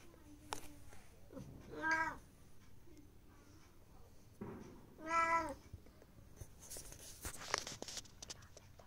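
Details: A black Bengal cat teased indoors into a playful crazy attack; two drawn-out harmonic meows around two and five seconds, with a human voice, rustling and handling noise between them.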